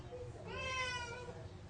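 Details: Pet cat meowing indoors while wanting a spider it has spotted; one drawn-out harmonic meow rising then falling over about a second, with soft low room hum beneath.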